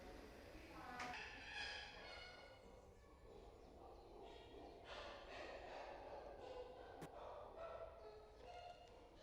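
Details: Chimpanzees at Twycross Zoo give a series of harsh, harmonic hoots and squeals in bursts around feeding time, with background chatter.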